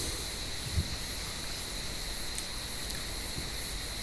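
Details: Cicadas calling from an olive tree on a warm evening: a steady, high, hissing buzz in even bands that never pauses, with a faint low rumble underneath.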